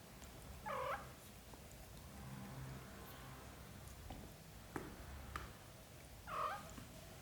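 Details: Small mews from British Shorthair kittens tended by their mother cat. Two brief harmonic cries about five seconds apart stand over a soft low background, with light clicks and rustles between them.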